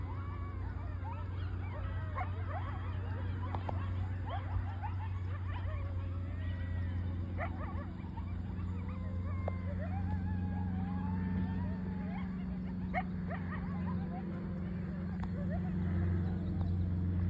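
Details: A coyote pack on a golf course in Scottsdale gives a roll-call chorus of wavering howls and quick yips, over a steady low hum.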